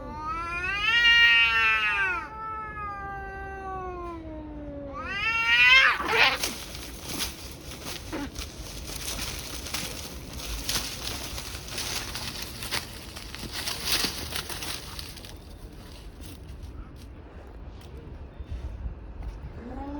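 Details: Fight between two tabby cats: two loud rising yowls open, then a burst of scuffling and hissing noise fills the middle as the brawl breaks out, settling into rustling and quieter background sound.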